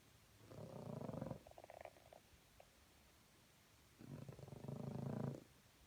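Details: French Bulldog snoring in the morning: two long, raspy, low rumbling snores, each about a second long, separated by a quiet pause of roughly three seconds, with softer snuffles in between.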